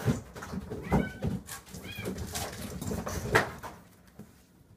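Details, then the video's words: Kitten wrestling a plush toy gives two brief, curved high mews about a second apart amid bumping and rustling indoors. "ぬいぐるみと戦う子猫 - Kitten fighting with a plush toy."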